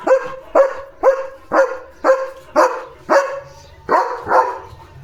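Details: Pet German Shepherd barking loudly and steadily in a run of about nine deep, rough barks, roughly two per second, with a faint low hum beneath.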